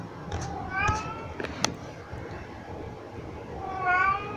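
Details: Pet cat carrying cat toys around while meowing; two short meows, one near the start and one near the end, over a faint background hum with a few clicks.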